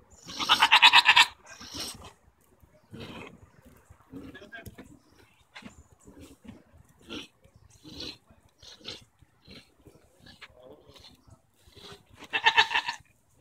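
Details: Goats arguing on June 24, 2014, with tongue flapping noted: a loud, strained bleat opens, then soft snorts, rustles and faint murmurs, and a second harsh, harmonic bleat near the end.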